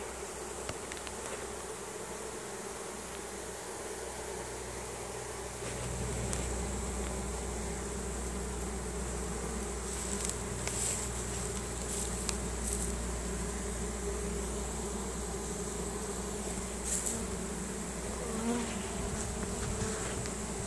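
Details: Honey bee swarm marching into its new home, releasing Nasonov pheromone to signal the others to follow: a dense, steady buzzing hum with low droning bands and a constant high hiss, growing slightly louder after six seconds.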